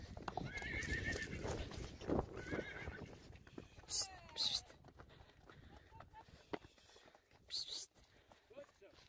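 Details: Friesian horse foals in a herd, going off without their mother, whinnying with a wavering call early on, hoofbeats and sharp bursts following, with people talking.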